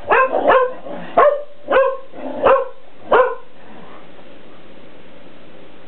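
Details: Pet Shelties at play with a cat toy inside the house while the family cat dodges; six bright, sharp barks in quick succession over three seconds, then quiet room tone.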